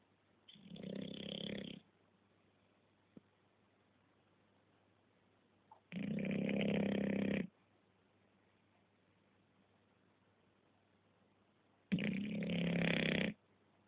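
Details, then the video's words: English Bulldog asleep and snoring: three loud, rasping snores, each lasting about one and a half seconds and coming roughly every five to six seconds, with near silence between breaths. "Как храпит английский бульдог"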